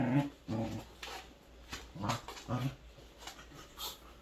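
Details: Three Welsh Corgis playing together indoors: short low growly vocal bursts in scattered clusters, with whimpery notes and quiet gaps between.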